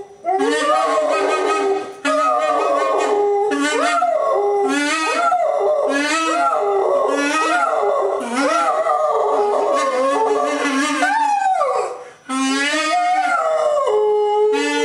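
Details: Dog singing a duet with a saxophone, howling the Dragon chant while lying on a staircase; rising and falling howls alternate with wavering saxophone phrases, with a couple of short breaks.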